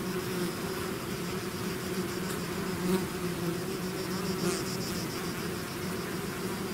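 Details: Bees swarming out of their hive: thick, unbroken droning hum from countless wings, brief louder swells as single insects fly near, otherwise even in volume throughout.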